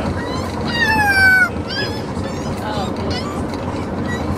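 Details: A Corgi puppy on its first ride home in a car gives a high, wavering, yodel-like howl that slides downward over a low engine rumble. It settled down after a few minutes.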